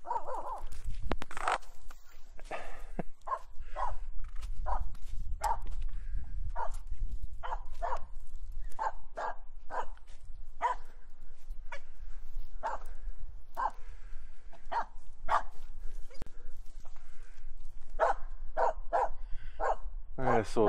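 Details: Female Finnish Spitz outdoors in falling wet snow, barking at a squirrel she has found above after a walk spent sniffing for squirrels; sharp barks repeat steadily about once a second, a quicker flurry near the end, a woman's voice urging her on.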